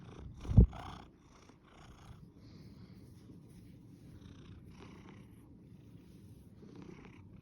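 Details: Cat giving a soft, steady low purr after a sharp thump near the start, with scattered light rustles and clicks over the rumble.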